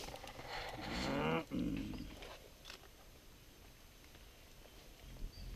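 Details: Excited mountain gorillas in Volcano Park, Rwanda: a tonal, harmonic vocalisation of about a second, wavering in pitch, with breathy noise, then quieter rustling vegetation and faint background sounds.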